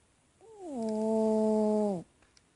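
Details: Sleeping pet cat snoring: a single steady, tonal, whistle-like breath held at an even pitch for over a second, with a short upward glide at the start, ending abruptly in a quiet room.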